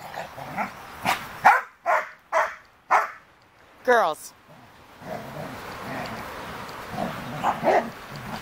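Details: Sheepadoodle puppies meeting the big dogs: a run of loud barks spaced about half a second apart, a brief whining cry, then people talking over background chatter with a few fainter barks.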